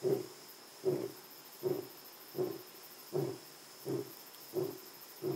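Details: Lion roaring in Jejane private nature reserve, South Africa: a run of eight deep, hoarse grunts spaced under a second apart, steady and evenly paced, with a thin insect hum in the background.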